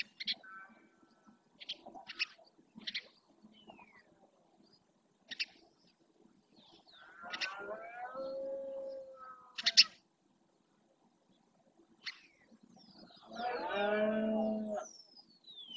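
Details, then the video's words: Red deer stags in the rut, the berrea, in the marshland of Doñana National Park, Spain, roaring to claim territory. Scattered short chirps from small birds come first, then a drawn-out tonal moan, and finally a loud, deep, harmonic-rich roar lasting about two seconds. "BERREA EN ESTADO PURO"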